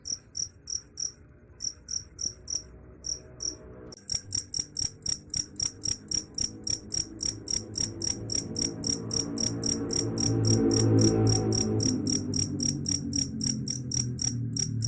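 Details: Cricket chirping, said to drive away rats: sharp high pulses in short bursts at first, then a steady rapid train of chirps, with low rumbling background noise growing louder toward the end.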